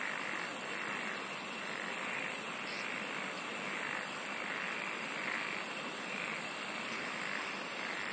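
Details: A constant chorus of singing insects: a thick shrill buzz throughout, a fast high-pitched ticking trill early on that returns near the end, and faint soft pulses repeating beneath.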